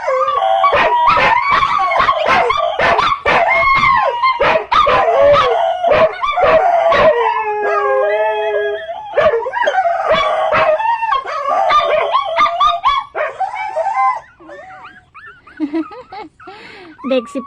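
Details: {'caption': 'Dogs howl with rapid sharp yips at first, then longer layered wails. The chorus fades toward the end into soft, scattered whines.'}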